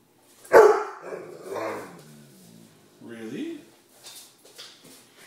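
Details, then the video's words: Shortie, a female Great Dane asking for her dinner indoors, gives one sharp loud bark, then drawn-out wavering groans and a short rising moan, while a person talks to her in between. "Shortie wants dinner..."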